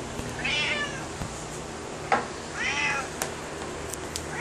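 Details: Kaiser, a pet cat, telling his owner about his day indoors: two drawn-out harmonic meows, each rising then falling, spaced about two seconds apart, with a few soft clicks and faint room noise between them.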